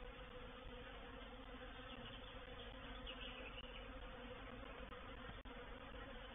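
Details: Swarming honey bees, a reproductive swarm settling into a swarm trap on 04/07/21, producing an unbroken, rich buzzing hum with steady low overtones, a faint rising whine midway and a few short clicks.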